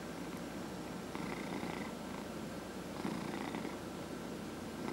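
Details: Dillard, a 14½-year-old domestic cat treated for small cell lymphoma, purrs in a low, continuous rumble with soft pulsing breaths during a head massage.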